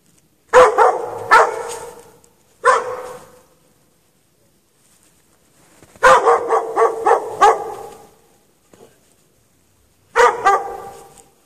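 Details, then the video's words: Chained-out dog left in snow for hours at night, 8 PM to past 11:30 PM, March 2014, barks in clustered bursts of several quick barks, separated by pauses of a few seconds. "Dog barking chained out in the snow"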